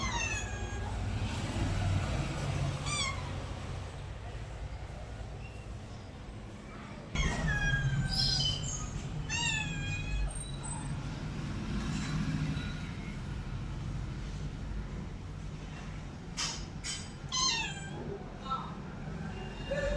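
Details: Domestic cat meowing repeatedly, each call a drawn-out, falling wail, several over twenty seconds with short pauses, against a low steady rumble and faint background noise.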